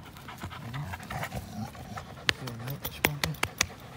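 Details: American Pit Bull Terrier and Belgian Malinois cross dogs play together, April 21, 2019: low rumbling growl-like tones and breathy panting, broken by sharp clicking knocks and thumps in the second half.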